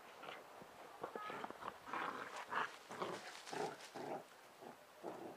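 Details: Two Bernese Mountain Dog puppies, sisters, wrestling in play in a garden; rough, broken growls and grunting yelps in quick irregular bursts, with scuffling between them.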